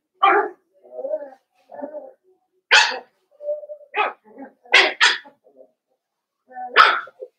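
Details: Blenheim Cavalier King Charles Spaniel puppies, a litter of five born at New Year's, in their puppy pen. Sharp broadband yelping barks come in bursts, mixed with softer whining calls and low voices between them.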